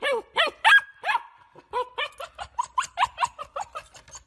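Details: Golden Retriever barking to signal it wants something: a few loud, harmonic barks, then a quick, uneven run of shorter, higher yips and barks that fades toward the end.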